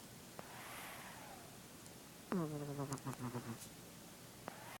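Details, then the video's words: A pet cat asleep at 3:00 pm, snoring: a sudden low rasping snore with stacked harmonics, sliding down then pulsing in a rapid wavering series for about two seconds before fading, in a quiet room. "My cat snoring"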